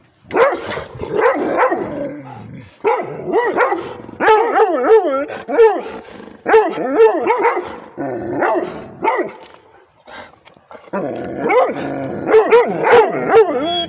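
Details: Rhodesian Ridgeback barking at a tablet: bursts of yowling, wavering, howl-like barks with rising and falling pitch, clustered in rapid runs with short pauses, loud and close.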